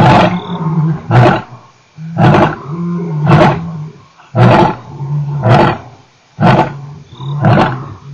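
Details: Male lion, Nkorho, 29 September 2008: a quick series of short, deep grunting roars, about one per second, each a rough low burst with a murmur between.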